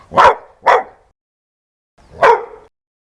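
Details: Dog barking fiercely and loudly: two quick rough barks followed after a short pause by a third, longer bark with a slight trailing growl-like tail, no background noise.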